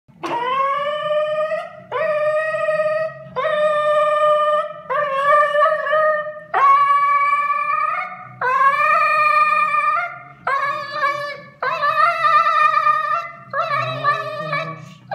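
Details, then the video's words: A Siberian Husky "sings" after anesthesia, howling in long, tonal, wavering notes, each rising slightly, repeated about every two seconds. "Siberian husky singing after anesthesia"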